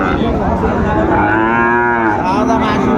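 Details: A Sahiwal bull calf moos at the Ambari market on 17 January 2025, one long, even, harmonic low call over the din of haggling traders and a busy crowd.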